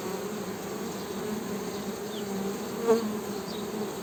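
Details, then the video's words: Honey bees give a steady deep buzz with a clear overtone above it; a single click and a couple of faint falling bird notes are heard. "HONEY BEE'S HUMMING SOUND"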